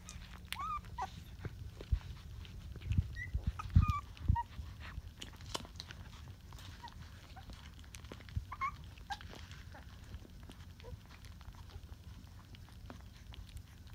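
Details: Rottweiler puppies on day 20 give soft, high squeaky whimpers: short rising chirps scattered through the first five seconds and again near eight seconds, over a low steady rumble with occasional rustling and handling thumps.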